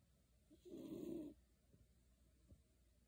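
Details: Beagle Shiloh deep asleep beneath a kotatsu gives a single rough, low snore lasting under a second, then soft breathing.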